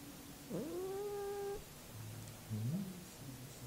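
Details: Domestic cat uttering one sliding meow that dips then levels off and holds for about a second, then a brief low rising mew, in a quiet room.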